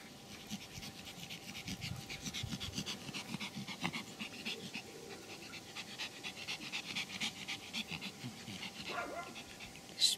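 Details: Pomeranian dogs from a kennel in Kyiv, panting steadily with quick breathy puffs, a short whimpering whine near the end.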